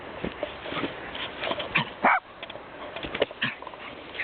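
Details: Sammy, a small dog running wild, gives one short, sharp yelp partway through, set among soft scuffling, rustling and faint household noise.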